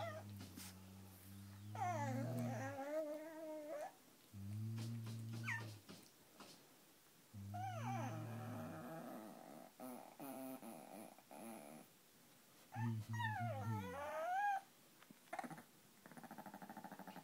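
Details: Peka-Poms, tiny five-pound dogs irritated by another dog indoors, give deep steady growls lasting a second or two, broken by sliding, whiny cries that climb and dip in pitch; quiet gaps separate the bursts.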